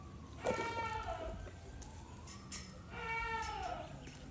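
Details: Baby goats hopping around and eating grass; two harmonic bleats, one near the start and a longer wavering one after three seconds, over a faint siren gliding up and down in the background.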